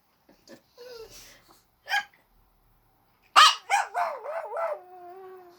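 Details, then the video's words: Small dog named Maryjane howling in response to a person's hiccup: after a few brief soft yips and a short sharp sound, a burst of wavering, descending howl notes falls into a sustained lower drawn-out wail. "Maryjane howls at aunt Dorothy hiccup"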